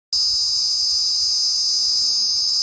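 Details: Cricket calling while perched on a palm frond, a loud, steady, high-pitched continuous buzzing trill with no breaks, and faint low voices in the background.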